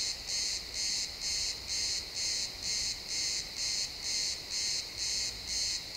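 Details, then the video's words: Crickets chirping in a pine forest at sunset, recorded in XY stereo: steady pulsed high-pitched chirps, about two per second, evenly spaced and unbroken, over a quiet woodland background. "Cricket sounds in the pine forest"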